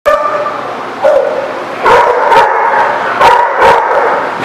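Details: Dog barking, recorded 25 November 2017; loud harsh barks in quick bursts, with a short opening yip and a tonal whine-like edge between barks.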